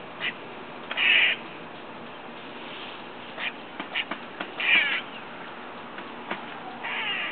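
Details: Squirrel heard from a window, next door, making unusual noises while eating: several short, grating, nasal bursts at uneven gaps, with scattered soft clicks in between.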